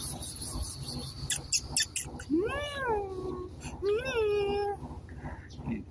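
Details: Domestic cat giving two drawn-out meows, each rising and then falling, over background music and clattering noises.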